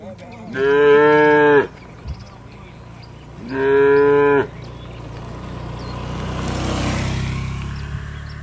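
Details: Tame village cattle calling to each other while returning to the shed: two long harmonic moos about a second each, separated by a short pause, followed by a rising wash of rustling noise.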